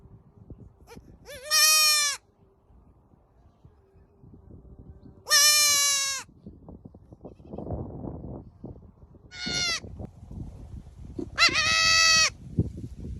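Goats give loud, nasal bleats, each about half a second long and richly harmonic, spaced a few seconds apart.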